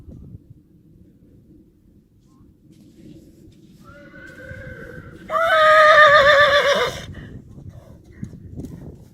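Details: Three-year-old Friesian colt Anko at play outdoors gives a soft rising whinny that breaks into a loud, trembling, harmonic neigh lasting nearly two seconds, over a background of steady rustling and light hoof noise.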